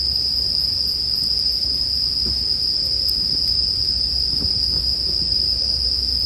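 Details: Sleep background of bell crickets: an even, piercing high ringing without pause, with only faint, occasional fire crackles and a quiet low hum underneath.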